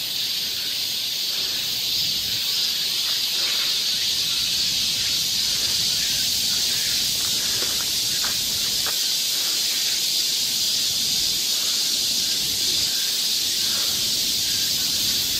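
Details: On a Korean summer forest path in Seoul, cicadas keep up an unbroken, sizzling high drone, steady in volume, with scattered faint clicks and rustles underneath.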